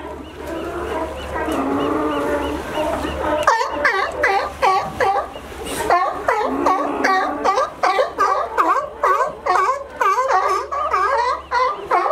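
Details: Sea lions in California climbing over a fence to reach a sunny dock, a favourite resting place. A steady low hum and droning tone open, then rapid harsh barks follow, about two to three a second, overlapping as if from several animals.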